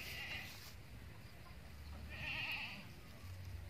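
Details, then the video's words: A female Boer-cross goat named Bety, with a brown head, gives one short quavering bleat with a wavering, shaky tone about two seconds in. It follows a fainter sound at the start, over a steady low rumble. "kambing Bety Kros bor"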